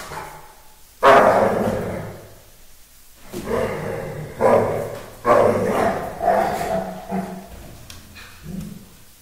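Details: Dogo Argentino named Bob playing with a Staffy named Hulk; one sharp, loud bark-like burst opens, followed by a run of rough, throaty growling barks about once a second, fading at the end.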